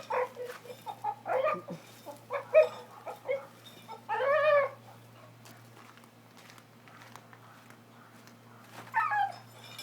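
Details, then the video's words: Male Brendel Boxer dog holding a horseshoe in his mouth gives ridiculous squeaky whining honks in short bursts, with one longer wavering squeal midway and another near the end, over a steady low hum. "Stupid Boxer Makes Funny Noise With Horseshoe"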